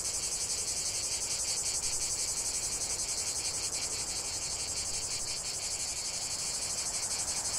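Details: Cicadas in chorus, a dense continuous high-pitched buzzing shimmer with fine rapid pulsing, steady and unbroken throughout, no other sounds standing out.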